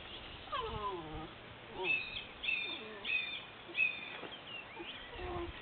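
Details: Pyrenean Mountain Dog puppies from a 2011 litter at a breeding kennel, producing repeated thin, wavering whines and yelps in short bursts roughly every second, several pups calling together.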